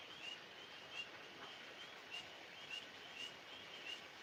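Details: Tree frogs calling outdoors at night give short, high-pitched chirps, about one every second or less, spaced unevenly over a constant background hiss.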